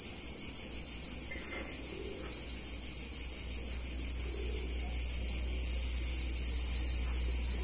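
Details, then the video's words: Cicadas in an Italian town during a warm summer day, a sustained piercing buzz pulsing rapidly and evenly, with a low hum and a few soft mid-range sounds. "Cicadas In Warm Summer Day In Italian Town"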